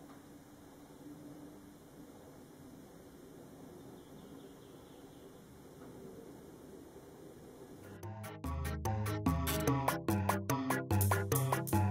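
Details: A quiet indoor room for eight seconds, then loud rhythmic music with a strong beat starts and plays to the end; no animal sound is heard.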